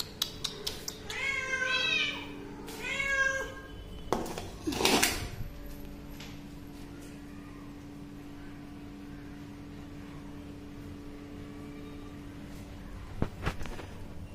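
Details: Hungry kitten meowing for food, two harmonic, wavering meows in the first three seconds, then a loud clatter and a quiet room with faint clicks.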